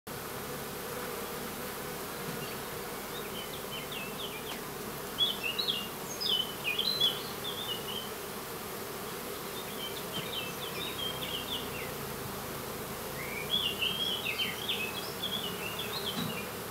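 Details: Honey bee colony with foragers: a steady low humming buzz runs throughout, overlaid by scattered high chirping bird notes in short bursts, strongest around the middle and near the end.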